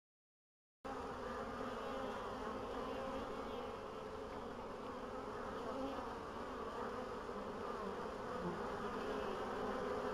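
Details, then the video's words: Bees on 14 April 2013, as spring finally arrives after a long winter; the colonies came through winter well, and the queens began laying a week earlier. A steady, dense, low droning hum runs without break after a short silent start. "Pszczoły, 14 kwietnia 2013"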